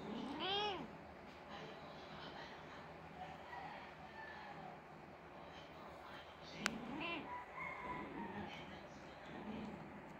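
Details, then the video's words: Grieving Persian mother cat whose kitten died gives a sharp, rising-then-falling meow at the start, then a softer meow later. Quiet human speech and a single click sound amid low background hiss. "Persian Mother Cat is Crying because her kitten died"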